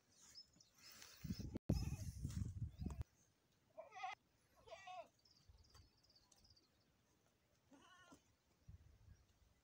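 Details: Goat in a premature birth scene: a loud low-frequency thump or handling noise opens, followed by a few short wavering bleats spaced a couple of seconds apart, fainter toward the end.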